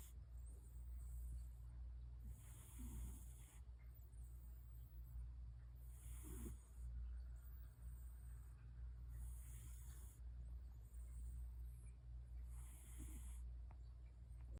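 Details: Old cat named 酷比 (Kubi) asleep and snoring, said to snore now that it is older; soft, breathy snore bursts recur about every three seconds over a steady low hum.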